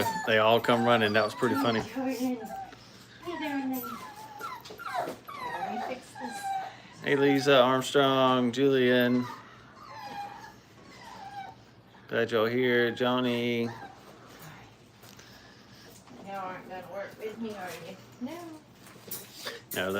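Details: Several five-week-old Brittany puppies in crate training let out loud bursts of harmonic whining and howl-like cries. Each burst lasts one to two seconds, separated by quieter gaps and faint whimpers.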